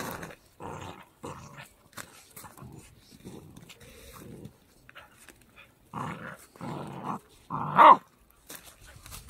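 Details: Pembroke Welsh Corgi puppy, a three-month-old male, near Zhukov in Russia's Kaluga region. Short throaty growls come in separate bursts with quiet gaps between them. One louder, sharper yelp comes near the end, in an otherwise quiet room.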